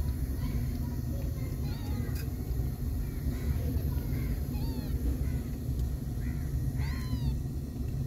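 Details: Fluffy kittens, growing fast but still wobbly, give several short high meows with arched, rising-falling harmonics, scattered over eight seconds above a steady low rumble.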